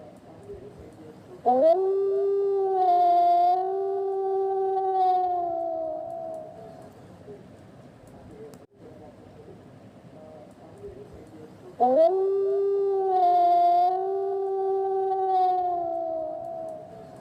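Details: A gray wolf calling at night in a forest gives two long, mournful howls, each rising sharply then holding a steady pitch before fading.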